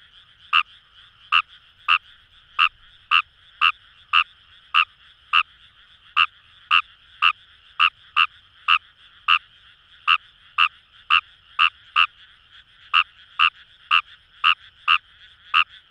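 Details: Kawamura's rice frog, wild, in Japanese paddy fields at Itoshima, Fukuoka: a long train of about thirty short croaks at nearly two per second, with one brief break, against low steady chorus noise.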